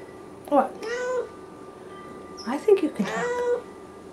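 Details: A male Siamese cat, very talkative in the afternoon, utters two long, wavering, nasal meows about two seconds apart, each opening with a short sharp chirp before sliding into a sustained tone.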